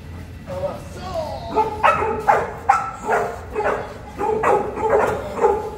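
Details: Boerboel, or South African Mastiff, from a pair living in Egypt: a run of deep, booming barks roughly every half second after a brief whine, over a steady low background hum.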